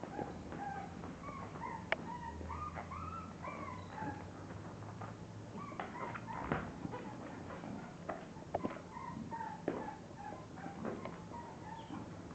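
English Bulldog puppies give a chorus of high, wavering whimpers and squeaky yips.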